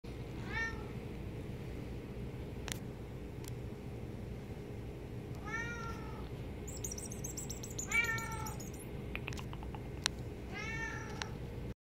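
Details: A cat meows four times at spaced intervals, each a drawn-out harmonic call that rises and falls, over a steady low hum, with a few faint clicks and a brief high chirp in the background.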